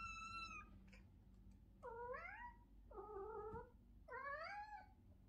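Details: Cat giving several drawn-out, upward-bending meows, each about half a second long, following a brief clear tone at the start, over a low background hum indoors.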